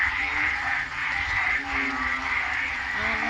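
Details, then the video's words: Very loud frog chorus at night in the rain, heard from a porch in the Philippines: dense, continuous overlapping croaks forming a steady droning wall of sound with a few lower notes underneath. "god, that's loud. Well, supposed to say hi to the frogs."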